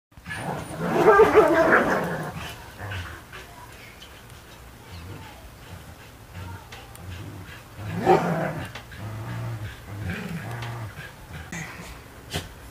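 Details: A Border Collie playing tug of war, giving rough, rumbling growls in two louder bursts near the start and after eight seconds, with quieter grumbling between.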